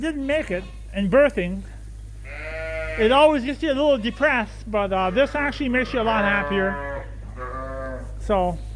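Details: Many Suffolk lambs bleating together in a barn at Ewetopia Farms after groups mixed when a gate was left open; dense, overlapping, quavering bleats of varied pitch follow one another almost continuously, over a low barn hum.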